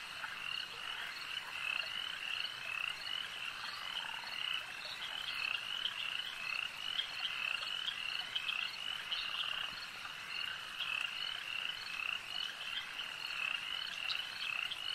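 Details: A crowd of frogs croaking at a lake, their bright, rapid chirps layering into an unbroken, pulsing chorus that holds steady throughout.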